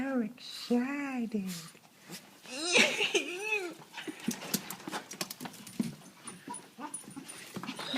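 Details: Excited female dog whining and trembling with joy on seeing her owner indoors: a run of arched, rising-then-falling whines in the first three seconds, followed by rapid clicking and snuffling sounds and a little background voice.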